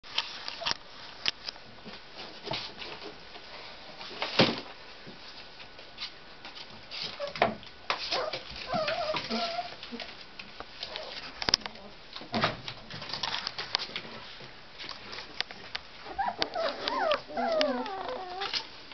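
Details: Tibetan Terrier puppies born on 23 October, playing indoors: scattered high thin whimpers and squeaky yips, strongest near the end, among constant scratching, patter and knocking sounds in a small room.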